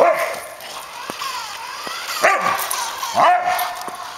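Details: Suka the Samoyed yips while chasing a remote-controlled car. Two or three short, rising-then-falling yips cut through a steady whine from the toy car's motor.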